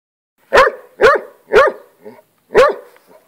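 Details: A pet hound, obsessed with lizards, barks while confronting a lizard: four loud, sharp barks spaced about half a second apart, a softer yelp, then one more bark after a brief pause.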